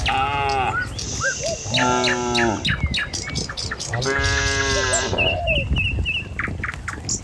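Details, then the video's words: Tame cattle herded along a village road at morning, travelling to fields in search of food. Three loud, sustained moos, some rising then falling, stand over hoofbeats, with short twittering bird calls near the end. "Suara Sapi Moou Sepanjang Jalan Desa"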